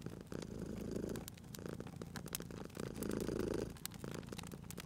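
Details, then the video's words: Domestic cat purring beside a crackling fireplace, the low rumble rising into two louder breathing swells over five seconds, with bright snaps and pops from the fire cutting through. "Cute Purring Cat at a Crackling Fireplace"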